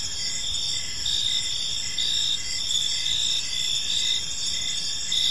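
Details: Evening park chorus of crickets, high continuous trilling layered in several bands, with a brighter chirp pulsing at regular short intervals, and faint low environmental noise beneath.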